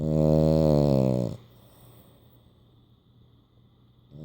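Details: A French Bulldog sleeping with his eyes open and tongue out gives one loud, rasping snore, then the room goes quiet.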